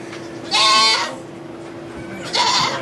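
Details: Domestic goat giving birth to two kids in a sugar shack in Quebec, Canada, recorded on an iPod Touch 4G: two loud, harmonic bleats about half a second each, separated by a quieter pause, over a steady low hum.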